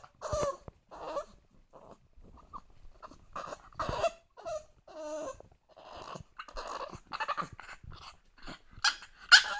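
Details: Two-month-old English Bulldog puppy crying indoors because it wants to climb onto the sofa; short nasal whines and yelps in broken bursts, some rising then falling, separated by snuffly breaths and brief pauses, ending in a sharper squeal.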